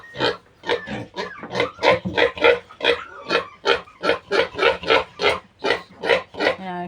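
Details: Weaned piglets of a new sow squeal steadily, loud rasping bursts repeating about three times a second, ending in a brief whining tonal note.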